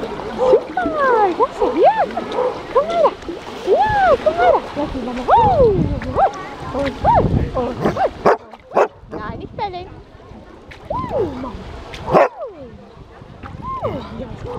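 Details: Dogs at an open-air pool bark and yelp in quick arched bursts for the first half, then splashing and loud water noise take over, with scattered yelps and human voices.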